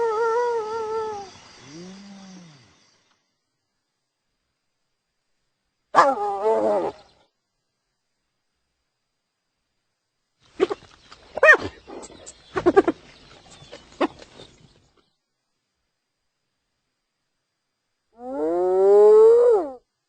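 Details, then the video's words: Hyena calls scattered through long silences: a short falling moan, a brief burst, a cluster of rough clattering sounds in the middle, then a rising, wavering harmonic call at the end. "Hyena Sounds"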